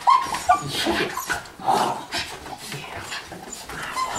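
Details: Indoors, miniature schnauzers Tucker and Abby welcome a soldier back from a year in northern Afghanistan with short, high, squeaky whines in quick bursts, while a man tells them they are good puppies.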